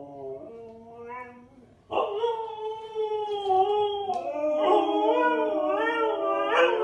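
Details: Husky puppies howling: a soft rising-and-falling whine at first, then from about two seconds a loud, sustained, wavering harmonic howl with overlapping voices that bend up and down in pitch.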